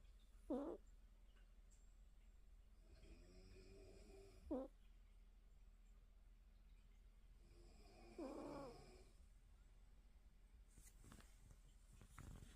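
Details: Mimi, a cat asleep with her eyes open, snoring softly: raspy, breathy snores, the loudest spaced about four seconds apart, with a low purring rattle between them in a quiet room.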